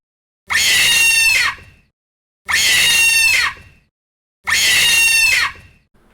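A monkey gives a harsh, screeching alarm call, each one-second burst repeated three times about every two seconds, with silence in between.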